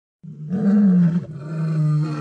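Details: Male lion vocalizing beside another lion, filmed in infrared: a deep, sustained, tonal moaning roar that starts abruptly, holds steady with a brief dip midway, then continues.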